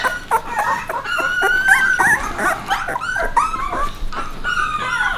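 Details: Puppies alongside Bek: a continuous tangle of high whines and squealing whimpers, many voices overlapping, pitches sliding up and down, a few short yips breaking through, steady moderate loudness throughout.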